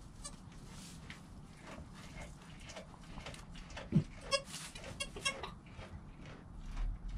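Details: Newborn goat kid Joel, filmed on a GoPro within an hour of his birth beside his calm mother Penny, gives short harmonic bleats in a quick cluster midway, over a steady low rumble and faint rustling.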